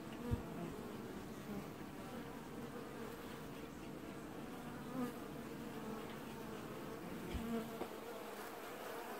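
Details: Many honey bees from a single apiary colony wash-boarding, early July: a dense, steady hum, a low drone with soft wavering wingbeats throughout, occasionally a low roar; keeper wonders if bees are adjusting hive temperature.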